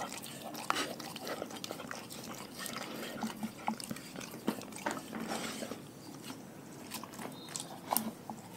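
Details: Dogs eating raw food with moist, squelching chews and fast clicky crunches, sharp snaps scattered throughout among softer wet mouth sounds.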